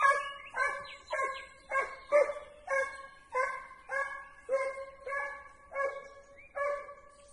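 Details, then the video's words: A Segugio working a hare scent during training bays insistently, with around thirteen quick, resonant yelping cries in close succession, each sharply attacked and fading, and faint outdoor noise underneath. "segugio in addestramento su lepre"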